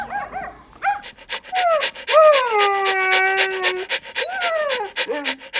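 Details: Playful fluffy puppy outdoors in nature: short squeaky whimpers lead into a long, falling, sustained whine, then a final bent whimper. Steady breathy pulses, possibly panting, tick throughout.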